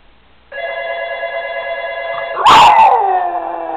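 A Boston Terrier answers a steady ringing phone tone with a loud, sliding howl that falls in pitch.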